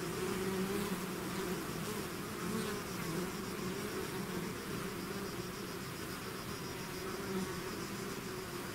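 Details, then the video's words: Bees swarming from their hive, an intense, unbroken buzzing drone with rich low tones and a faint shimmering high hiss, many insects humming together. "bees therapy swarm natural buzzing sound"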